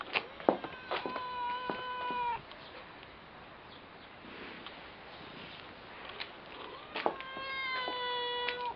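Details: White, dirty-looking cat meowing repeatedly: a burst of clear, tonal meows with short clicks in the first two seconds, a quieter stretch, then another run of steady, even meows near the end.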